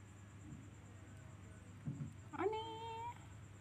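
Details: Little kitten indoors lets out a single meow that slides upward and then levels off for about half a second, after a few soft rustles, with steady low room hum beneath.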